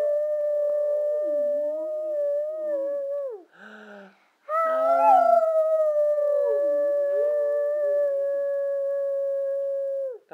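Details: Brindle Boxer dog singing when asked by a person: long steady tonal howls with rich harmonics, one held note broken by a short pause, then a second long sustained note that dips and rises slightly before trailing off.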